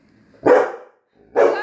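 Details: Labrador Retriever dog giving two short, loud barks about a second apart, each a sharp burst followed by a brief tail, with no other sounds.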